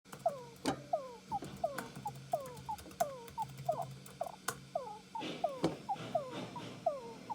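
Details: One of two pet Djungarian hamsters gives quick, thin squeaks that curl downward, several each second, with faint clicks. The owner notes they make odd sounds while sleeping and wonders if it is sleep-talking.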